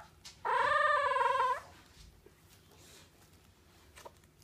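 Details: Bulldog puppy dreaming, letting out a single wavering nasal whine lasting about a second, followed by quiet room noise.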